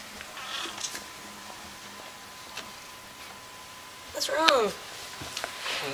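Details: Pet cat making odd noises indoors: a single strained, wavering meow rising then falling near the end, after quiet stretches with faint clicks and a soft earlier chirp.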